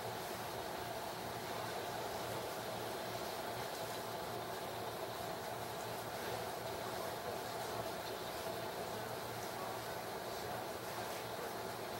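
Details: Constant broadband rumble and hiss, like a passing train, fills the recording without any animal call.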